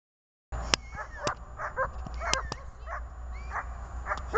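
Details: German Shepherd during IPO training: a busy run of about a dozen short, arched yelping and whining calls, some rising then falling, mixed with sharp snapping clicks over a steady low hum.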